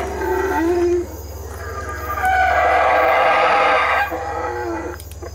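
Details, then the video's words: Howler monkeys in the Belize treetops give deep, rasping roars that swell into a long, sustained bellow. "The Call of The Howler Monkey: Belize Treetops"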